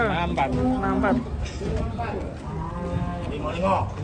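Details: Cattle in Indonesia, said to be rampaging as it is about to be sold, gives a low sustained moo, then a shorter rising call near the end, amid people talking and general commotion.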